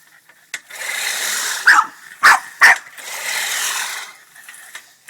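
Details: Boston Terrier, pissed off at a push lawnmower, lets out three loud barks amid steady grinding mower noise.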